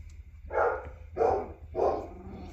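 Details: Black Labrador in Colorado, USA, among Hunny and Stout's winter 2023 litter, two weeks old with eyes opening and learning to crawl; three short mid-pitched bark-like yelps about two-thirds of a second apart over a low steady hum.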